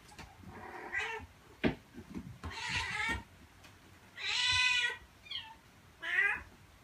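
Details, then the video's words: Meowing from a domestic cat, collected to attract cats. Several meows come at irregular gaps: a soft early one, a louder wavering call near the middle, then a strong drawn-out meow and a short rising one, with faint thumps between. "Meows to ATTRACT CATS"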